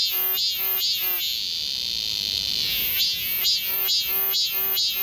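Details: Cicadas chorus in summer in the forest of Galsan Park, Mokdong, Yangcheon-gu, Seoul. A steady high buzz carries throughout, with loud pulsed bursts at a brisk, even pace. The pulses pause for about two seconds midway.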